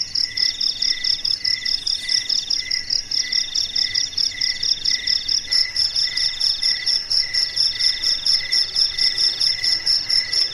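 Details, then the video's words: Crickets chirp steadily at night, high pulsed trills repeating about twice a second in overlapping layers. "SUARA JANGKRIK MERDU DI MALAM HARI"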